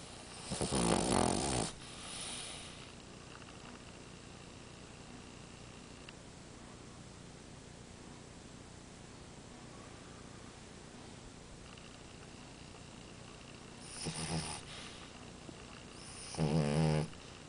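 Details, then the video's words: Snoring French Bulldog named Amora. One long, harsh, vibrating snore opens the recording. About twelve seconds of quiet follow, then two more rattling snores close together near the end. "Bulldog Francês Amora roncando!"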